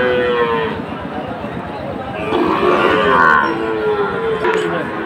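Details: Sahiwal bull calves bought by farmers from various regions, 5 October, Bangladesh; a drawn-out, steady low moo with rich harmonics opens, a second louder bellow follows midway, over a constant murmur of crowd noise and voices.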